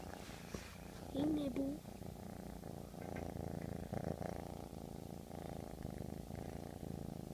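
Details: Two pet domestic cats purring together indoors, a low continuous rumble with rapid pulses throughout, while a woman talks softly over it.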